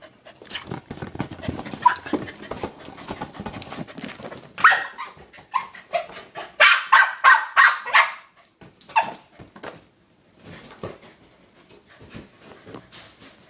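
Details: A Corgi attacking his new toy ball gives quick bursts of sharp, excited barks and yips, several to the second.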